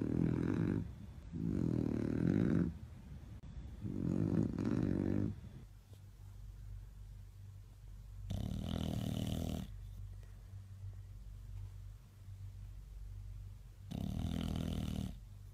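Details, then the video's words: Bulldogs asleep at My Second Home in Dubai, October 2015, entered in a snoring competition: loud rasping snores of about two seconds each, low and rough, repeating with quieter breathing between, in a small indoor room. "Bull Dogs Snoring competition"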